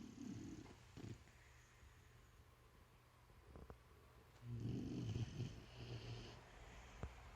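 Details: Bruce the dog snoring in sleep: a short low rasping snore at the start, a long quiet pause with a few soft clicks, then a longer grating snore lasting nearly two seconds.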